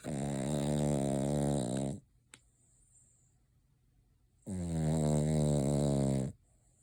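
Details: Dreaming Cavalier King Charles Spaniel called Noah, eyes open, mouth and nose twitching in sleep; two drawn-out buzzing snores of about two seconds each with a quiet gap and a faint click between.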